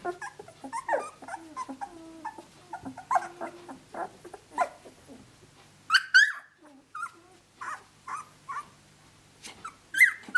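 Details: Australian Shepherd pups aged 17 days, out of Dazzle by Naishe, moving about and playing; soft steady whines and grumbles give way to sharper high squeals and yips in the second half.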